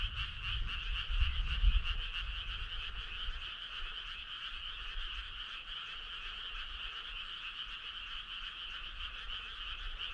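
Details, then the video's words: Frog choir on a midsummer night by a starry country road, a steady shimmering trill of many overlapping callers, with a brief low thumping rumble near the start, then even chorus to the end. "Cool frog sound"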